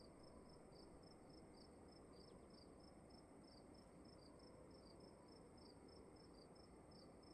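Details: Two crickets chirping in a room at slightly different pitches, their short high chirps interleaving in quick overlapping series, over a constant low hum and faint high tone.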